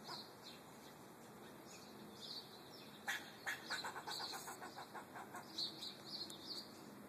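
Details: Squirrel outside an apartment, recorded 13 March 2012, gives a train of quick, raspy ticking notes about three seconds in, lasting over a second, while thin bird chirps sound before and after.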